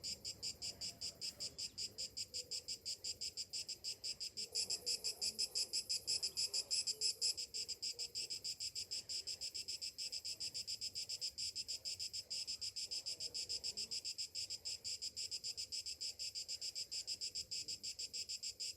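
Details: Summer morning cicadas in a steady chorus, a dense high buzzing band pulsing about three times a second, with one louder, brighter burst swelling for a couple of seconds near the start.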